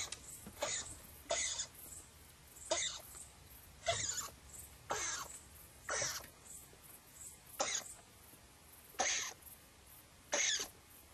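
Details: An edible dormouse peers out of a hole, takes fright and calls in agitation: harsh, hissing broadband bursts, about nine short rasps spaced irregularly over eleven seconds, with a quiet background.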